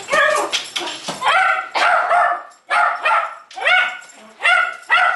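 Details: Jack Russell Terrier Jay, a clingy pet dog, letting out loud high-pitched barks and yelps in uneven bursts, some barks sliding upward into whiny cries, with short silent gaps between.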